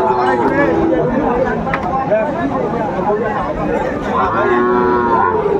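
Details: Sahiwal bull calves at a busy cattle market, bought by a farmer from Joypurhat, Bangladesh, on 17 August 2024; a drawn-out, harmonic moo rises near the end over constant crowd chatter and bargaining voices.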